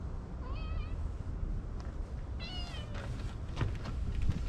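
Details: Stray cats under a bench, stroked while others gather: two meows, the first brief, the second longer and wavering, over a constant low rumble of wind and handling noise.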